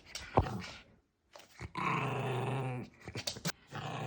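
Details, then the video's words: Maltese dog indoors in a small room, showing its temper: a sharp yip, then a sustained low rumbling growl from about 1.7 to 2.8 seconds with a rough, pulsing texture, followed by scattered clicks and shuffling. "말티즈 승질 제대로 보여줌"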